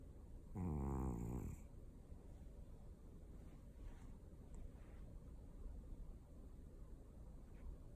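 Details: Domestic cat snoring indoors: one loud, buzzy, pitched snore lasting about a second near the start, then soft low rumbling breath noise for the rest.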